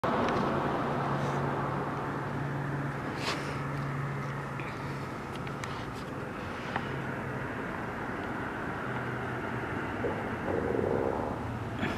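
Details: Steady outdoor rumble of passing vehicles with a low engine hum and occasional faint aircraft or train noise; no animal voices stand out.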